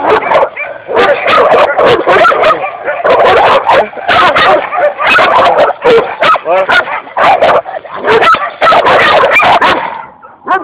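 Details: Belgian Shepherd barking loudly and continuously, a dense run of sharp, rapid barks and yips with hardly a pause, many in quick bursts, ending with a softer whine.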